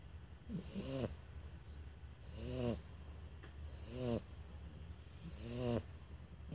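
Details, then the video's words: Two Shar Pei puppies, Toffee and Fudge, snoring: a steady nasal rumble rises into a throaty, rattling snort with a breathy hiss about every second and a half, four even rounds with low constant hum beneath. "Shar Pei Puppy Duet"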